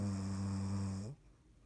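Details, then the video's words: Snoring from Dottie, a cat asleep, recorded 3.17.19: one long, steady, droning harmonic snore holding for about a second before cutting off into near silence. "Dottie snoring"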